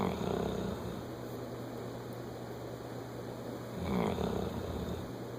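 A bloodhound snores with deep, rumbling breaths that swell and fade every few seconds.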